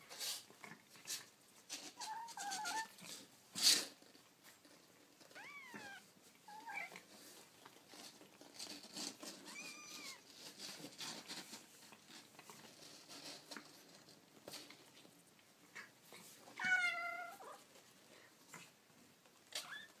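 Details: Baby kittens making small high mews, several arched harmonic cries scattered through the clip, the loudest near the end, over soft tapping and handling noises in a quiet indoor room.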